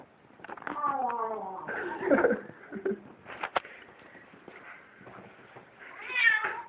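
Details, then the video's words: A kitten eating food and making funny noises: short harmonic mewing tones that slide downward, mixed with soft chewing clicks, indoors, with a person talking nearby. "kitten eats with funny sound"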